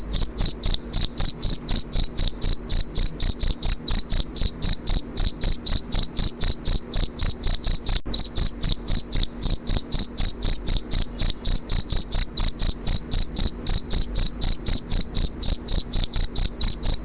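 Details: Cricket chirping, presented as a lullaby and to repel rats: a steady, high, ringing pulse repeated about four times per second, very regular and continuous throughout, with no other sounds.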